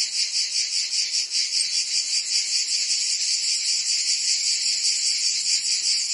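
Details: Cicadas in Provence, France, singing on a summer day, a bright continuous buzz with a pulsing, wavering loudness repeating more than twice per second.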